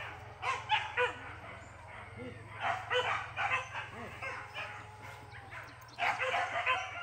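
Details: Short yelps and barks come in uneven clusters, some with rising whiny tones, as Max trains for the first time at a PORBI hunt gathering near Sungai Pingai; faint talk and a low hum persist.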